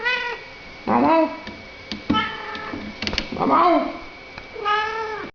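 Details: Talking British Shorthair cat conversing with people indoors: four loud, rich meows, some rising then falling, spaced about a second apart, with small clicks and handling noises in between.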